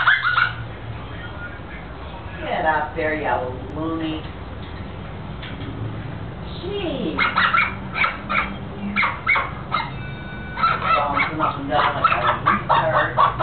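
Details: A dog that hates squeaky toys mimics one, giving high, squeaky whines in quick bursts with brief pauses between runs; a low voice murmurs in the background.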